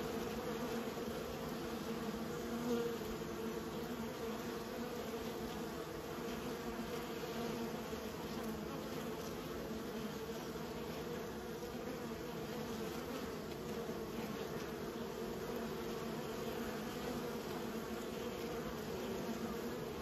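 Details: Kept bees raised by a beekeeper, a dense steady drone of many wings humming together, with a low hum and a brighter overtone holding level for the full twenty seconds and no other clear sounds.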